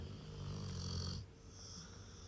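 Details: Rottweiler snoring: a deep, rough, rumbling in-breath lasting about a second, followed by a quieter, softer exhale.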